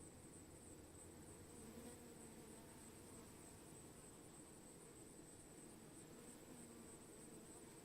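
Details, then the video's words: Swarm of honey bees giving an even, unbroken droning buzz, low and constant in pitch across the whole stretch. "Sound Swarming bees"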